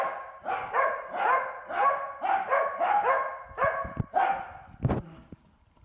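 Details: Wynee the Corgi barks at a bee it is herding, a run of rapid harmonic yaps nearly twice per second, fading toward the end where a few sharp knocks and clatters break in.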